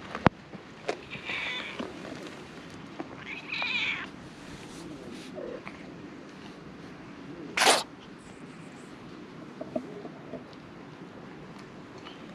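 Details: Stray cats gathering on a cat island in Japan when one is stroked; two short harmonic meows a couple of seconds apart, scattered clicks and a sharp broadband knock midway, low background rumble.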